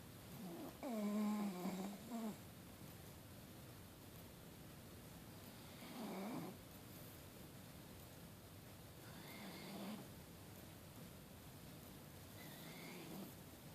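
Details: Andy, an adopted dog, sleeps blissfully and snores: a rough, rasping inhalation near 0 to 2 seconds, then softer snores repeating roughly every three to four seconds in a quiet indoor room.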